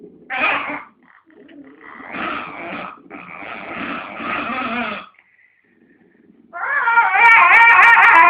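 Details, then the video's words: Domestic dog squabbling with a second dog over a dog chew it holds; harsh snarls and rumbling growls, a brief quiet gap, then a loud wavering high-pitched whine-growl. "Funny Dog Noises"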